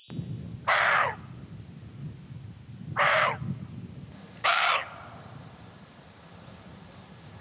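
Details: A Siberian roe deer on Jeju Island, Korea, gives three harsh, dog-like barks a second or two apart, its alarm call when it feels threatened.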